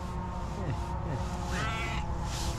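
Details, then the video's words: A tailless tuxedo cat, female, meows loudly on seeing her person. A short harmonic meow arches up and falls in the middle of the recording. Fainter downward sweeps come before it, over a steady low hum. "Tailless tuxedo cat starts meowing loudly as soon as she sees me"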